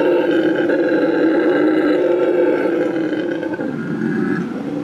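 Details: Tango, a rescued Bolivian red howler monkey at La Senda Verde rescue center in Bolivia, gives a sustained, deep roaring howl with a rough, droning texture that holds steady before easing slightly near the end.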